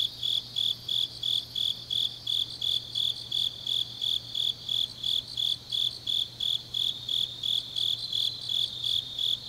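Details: Grass insects on an autumn night in Changnyeong, Korea, trilling in regular bursts about three per second, high and clear, backed by a continuous fainter insect chorus and a quiet low hum.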